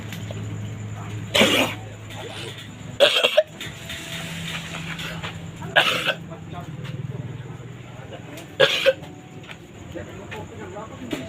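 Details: A goat coughs in harsh, human-like bursts every few seconds over a low hum.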